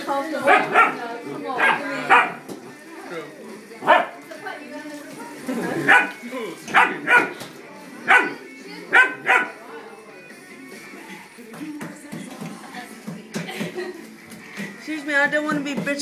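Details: German Shepherd puppy barking at a cat during a standoff; sharp high yapping barks come in short bursts, some in quick pairs, with a person talking throughout.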